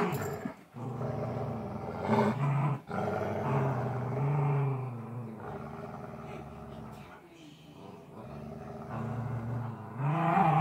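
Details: During tug of war play, a Golden Retriever keeps up a deep continuous rumbling growl with wavering pitch, brief breaks, and a louder rising growl at the close.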